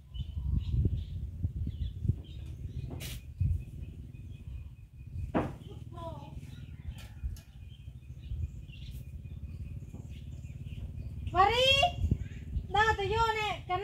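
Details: Cat named Sross, hungry and staying near food with her baby kitten: after a stretch of quiet rustling and scattered clicks, two loud, high, arched meows with rich overtones ring out close together near the end.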